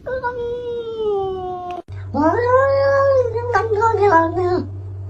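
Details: Chatty domestic cat talking back: a long, slowly falling meow, then a second drawn-out cry that rises, holds and breaks into choppy wavering syllables, over a low steady hum.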